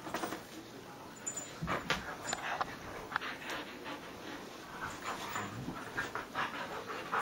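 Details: Sunday-morning Husky panting and rustling close by, with breathy, irregular bursts and scraping movement noises throughout, over a constant faint background hum.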